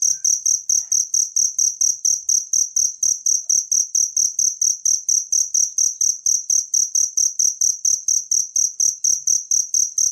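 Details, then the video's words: Wild cricket song meant as a master recording for training songbirds; bright, high, buzzy chirps repeat in a fast even rhythm, about twice a second, with only faint stray background ticks. "suara jangkrik alam buat masteran burung gacoan anda"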